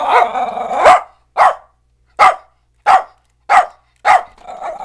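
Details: Pet dog quarrelling with a vacuum cleaner: a long grumbling growl-howl leading into five sharp, mid-pitched barks spaced about half a second apart.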